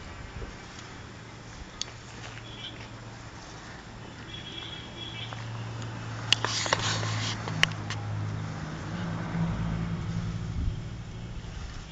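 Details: A low, droning engine rumble and broadband hiss fill the recording, broken by a few sharp clicks and knocks. No barking or any other animal call can be picked out.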